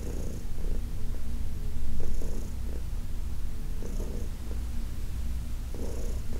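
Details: Senior shelter-adopted cat Heidi, about fifteen, purring while being massaged in August 2021; deep continuous rumbling swells and fades with her breathing, each inhale-exhale cycle marked by a faint hiss.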